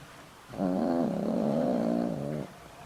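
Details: Boram-i, a pet dog over twenty years old with heart problems, snoring in deep sleep: one loud, rattling, slightly wavering snore lasting nearly two seconds, with quiet breathing before and after.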